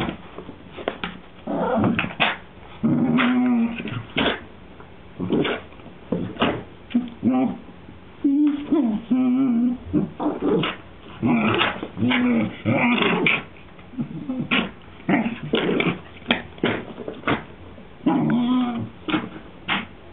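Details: Whippet Maisey pesters her sister Poppy to play, giving low, droning growls and whimpers in short bursts of a second or two, some drawn out with a steady hum, with a person's voice now and then between them.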